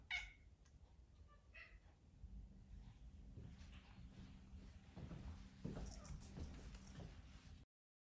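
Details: Charlene, a pet cat, meows to be petted: two short high meows with clear harmonics in the first two seconds, then only a low indoor hum and faint rustling.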